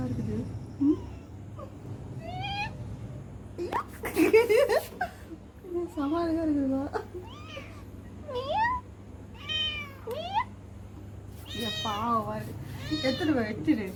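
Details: Small kitten giving repeated high, wavering meows, some rising and some falling, roughly every second, with a woman speaking Tamil nearby and low background hum.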